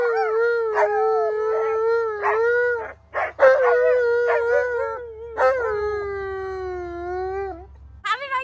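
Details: Alaskan Malamute giving a howling lesson: a string of long, steady howls, each held for about a second and gently falling at the end, separated by brief yelping breaks, with a final sharp rising yip.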